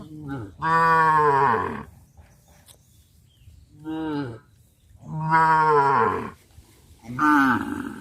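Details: Cows of a herd moving through a village rice field, mooing loudly: four deep, rich moos in close succession, each swelling then falling away, separated by quieter background rustle.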